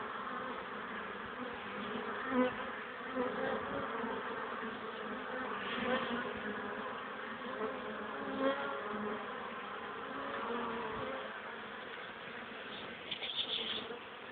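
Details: Honey bees at the hive on a sunny but cold, windy April day at 1 pm, 12 degrees, carrying pollen while the wind hinders their landing; a dense, steady buzzing hum of many bees throughout, with a few louder passes close by.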